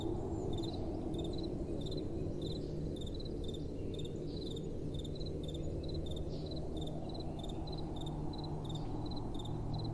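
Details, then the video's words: Night-time crickets give rapid, thin, high-pitched chirps in small clusters, recurring at a regular pace, while gentle wind makes a steady low hiss and roar throughout. "Relaxing Night Time Sounds | Crickets & Soft Wind"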